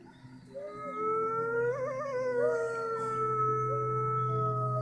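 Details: Several gray wolves at Toronto Zoo howl together near closing time, long sustained tones wavering and overlapping in a mournful chorus.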